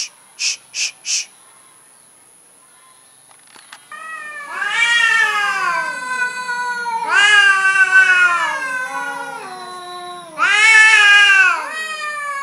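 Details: Timid orange cat giving three long, drawn-out harmonic meows, each wavering and sliding down in pitch, spaced a few seconds apart; short clicks and faint rustling come first.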